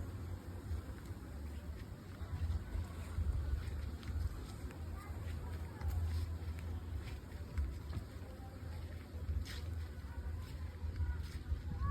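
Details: Steady low wind rumble with a droning, engine-like hum and faint scattered speech, and no animal calls stand out.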